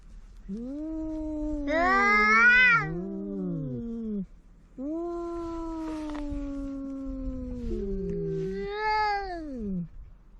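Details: Pet cats quarrelling at home, trading long wavering yowls; two voices overlap early, with a sharper rising wail near two seconds, then a sustained falling moan and a final rising-then-falling yowl after a brief pause.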